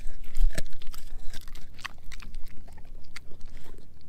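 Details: German Shepherd mix named Edu chomping on a dehydrated pig ear dog chew: a loud crunching bite at the start, then rapid, uneven snapping and grinding chews close to the microphone.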